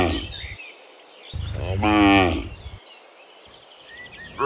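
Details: Morning herd of dozens of cows returning from the field to their pen: a single swelling moo in the middle, framed by low rumbling noise and faint bird chirps.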